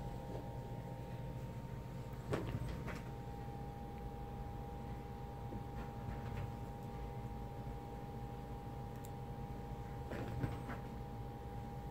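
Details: Quiet indoor hum with a few soft thumps and clatters, but no animal voice.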